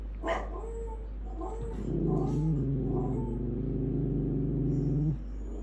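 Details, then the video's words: Pet dogs howling at home: a few short yelps, then a low, steady, droning howl held for about three seconds with slight wavers before it stops abruptly. "Our dogs howling"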